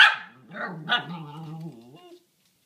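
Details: Domestic dog vocalizing toward a rabbit behind a fence: one loud bark opens, followed by a long, steady, moaning howl-like tone that slowly fades over about two seconds.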